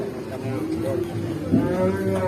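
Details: Cattle, a pitied cow whose owner wishes it good health, giving a drawn-out low moo with steady stacked harmonics lasting about two seconds, with faint human voices and background murmur.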